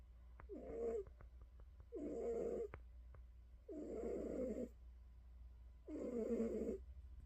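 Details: Pet cat snoring just before falling asleep, a series of four raspy breaths about a second long recurring every two seconds or so, with soft ticking noises and a low constant hum behind.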